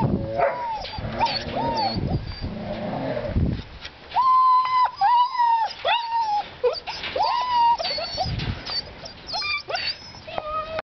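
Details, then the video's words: Old-type puppies, black and sable, whining in a litter: long, drawn-out high whimpers that rise and fall, some held steady, others breaking into quick sharp yelps, several pups overlapping. "Черные и зонарные щенки старого типа (гдрошники)"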